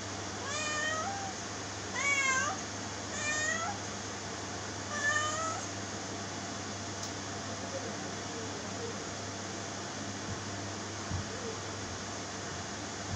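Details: Domestic cat meowing four times over about six seconds, each meow a clear, harmonic-rich cry that rises and then falls, with gaps of one to two seconds between them, followed by quiet indoor background hum.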